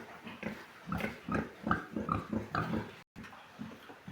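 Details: Several Large White pigs on a farm grunting in quick succession, short low grunts with brighter squeaky edges repeating roughly every half second, one brief gap of silence.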